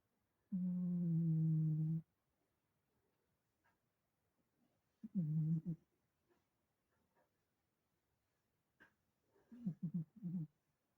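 A sleeping dog gives a long low moan, then shorter groans and a burst of stuttering whimpers.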